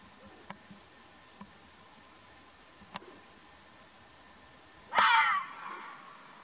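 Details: In Omani wilderness, an Arabian mountain fox lets out a sudden rough, scratchy scream with a softer tailing rasp, preceded by scattered faint ticks and clicks in a quiet setting.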